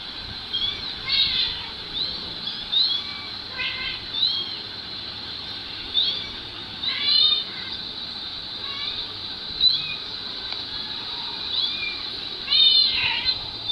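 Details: Two kittens recorded earlier and played back on a mobile phone while their mother cat rushes over to listen: many short arched meows, rising then falling, in loose bursts every second or two, with a thin, tinny phone-speaker sound.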